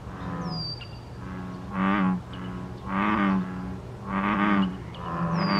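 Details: American bullfrogs calling in a mating chorus, recorded 14 May 2023: deep, low droning croaks swelling in three loud pulses about a second apart over a steady low hum, with brief high bird whistles above.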